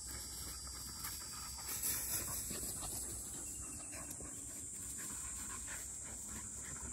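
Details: During a lunchtime break, 197-day-old field-line Labrador Retriever puppies Dori, a black female, and Pin, a yellow female, rest with 12-year-old Mā. Rapid, shallow panting of about four puffs per second over a steady high-pitched background tone.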